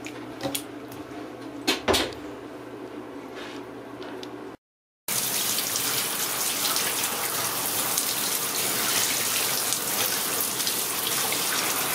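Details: A few clicks and knocks in a small room give way to a tap running water loudly.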